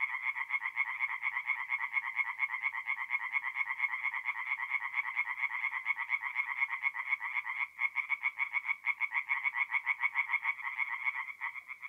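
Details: Several tree frogs call from a forest pond by night in mid-April, north-east Italy, making an unbroken stream of fast, rattling croaks that overlap into a steady pulsing drone with a few short lulls.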